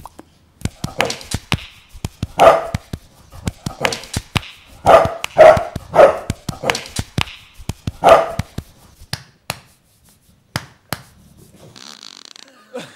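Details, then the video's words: Bulldog giving a run of short, gruff, low barks and yips in irregular bursts roughly twice a second, with a few sharp clicks between them; the calls thin out toward the end amid faint background noise. "Funny Bulldog Sounds"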